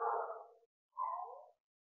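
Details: Two yowling calls from a Bengal cat during breeding, each lasting about 0.6 seconds with a gradual downward fall, separated by a brief pause against a silent background.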